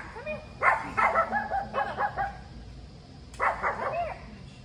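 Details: Bella, a Chihuahua on her first visit to an agility ring at a training facility and unsettled by onlookers, gives a quick run of high, sharp yips and barks, then a short second burst after a pause.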